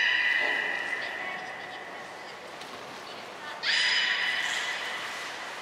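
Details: Beluga whales Hodoi, Taanya and Mirai during pool transfer and training at Port of Nagoya Public Aquarium, 23 February 2021; a steady mid-pitched whistle with stacked overtones fades out, then a second whistle begins with a sharp upward sweep.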